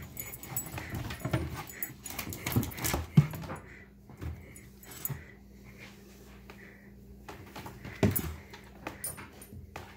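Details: Two pet dogs, Australian Shepherd Yoshi and a Lab/border collie mix named Rey, indoors fixated on new goldfish in a tank; soft high whines and whimpers come in short bursts between snuffles and light thumps, over a steady low hum.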